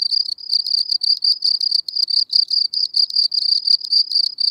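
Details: Gryllus campestris, the common field cricket, at Elsbethen, Austria, in April 2020, calling loudly with clean, high-pitched chirps, each a short burst of pulses, about three a second and evenly spaced.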